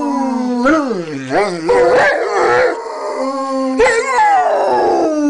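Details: Three-legged Rottweiler that survived osteosarcoma, howling while lying in bed: wavering, yodel-like wails that rise and dip in quick bends, followed by a long steady howl and a falling, trailing end.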